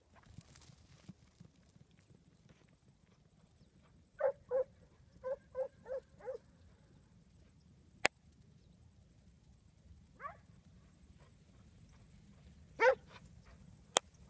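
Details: Syd, a 15-month-old Huntaway dog, gives a quick burst of six harmonic barks, then two later single barks, with sharp clicks and a faint steady high whine in the background.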